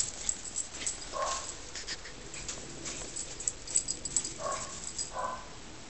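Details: Dogs playing, giving short whiny yips and whimpers at intervals over steady background hiss.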